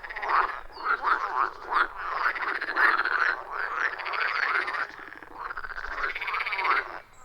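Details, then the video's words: Dense chorus of frogs at a wild forest pond, captured on iPhone 14 Pro with Shure MV88+ microphone; rapid pulsed croaking rises and falls in waves, many callers overlapping, with a quieter tail at the end. "30 Minutes of Frog Sounds at a Forest Pond"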